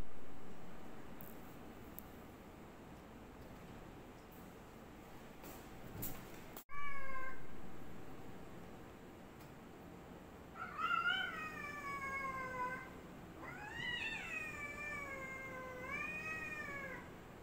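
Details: As a black cat tries to fight a white cat, one short meow is followed by a series of long, tense, wavering yowls, three rising-and-falling cries in quick succession over low background hiss and a few faint clicks.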